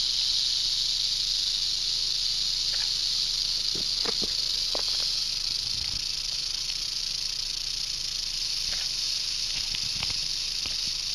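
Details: Western diamondback rattlesnake found on a road while road cruising in Arizona, rattling nonstop: a steady, hissing buzz held at one level throughout, with a few faint clicks and knocks scattered over it.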